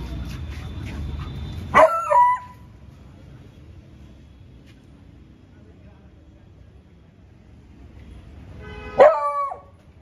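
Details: A 7-month-old male Beagle on guard gives two loud, harmonic barks about seven seconds apart at a cow outside the gate.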